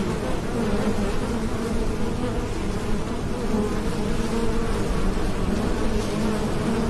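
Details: Heavy, unbroken drone of buzzing bees, low and rich, with slight flickers in pitch from moving wings.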